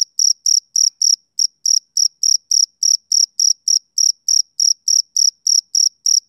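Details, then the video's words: High-pitched, ringing chirps of a male cricket on a summer evening, repeated rapidly about three to four per second, with one brief stumble early on, otherwise a steady beat in quiet surroundings. "Cricket Chirping Sound Effect"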